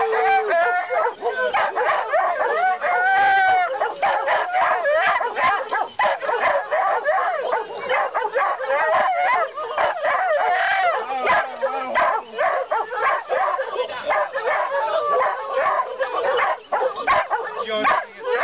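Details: Several greyhounds howl together in a dense chorus of overlapping, wavering yodel-like cries. The voices rise and fall continuously without pause.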